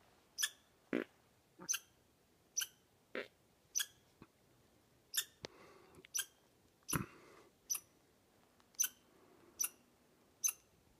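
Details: Squirrel on Sulphur Mountain on 7 May gives short, sharp, high chirps repeated about once a second, heard while walking up the mountainside, with a few faint thuds, likely footsteps, between calls.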